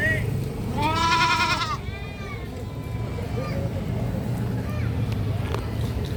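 A goat gives a loud, wavering bleat, followed by softer quavering calls over low rumbling noise.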